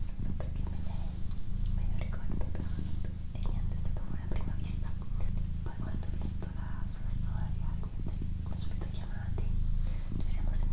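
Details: Low continuous purring from Doroti, a female house cat, a deep throbbing rumble that pauses briefly every couple of seconds, with gentle whispered speech and faint mouth noises on top throughout.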